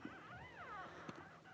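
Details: Cavalier King Charles Spaniel at home as mother Paris whelps her first newborn puppies, January 1: a single short, thin whine that rises then falls in an arch, over a steady low background hum with a soft click.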